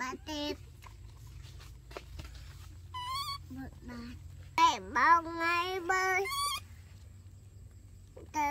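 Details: Daily life of baby monkeys Dorn and Dum: scattered short tonal squeaks, then a loud sweeping call that dips and climbs, followed by high rising harmonic cries, ending with a brief coo.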